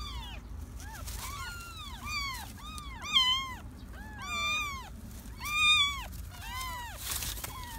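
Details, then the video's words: Several stray kittens in a garden mew constantly, their high arched cries overlapping and rising in intensity, with light rustling noise in the background. "Stray-cat had 3 kittens in my garden!"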